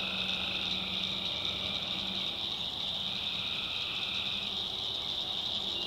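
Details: Dense nocturnal chorus of tree frogs in the North Carolina backwoods, a constant high shrill wash over faint trills, with a low humming note at the start and again near the end.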